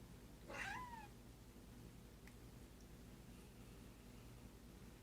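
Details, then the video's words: House cat, excited at being found hiding in the bathroom, gives one brief bent meow near the start, then quiet room hum with a faint click. "Missy stretching and making silly noises."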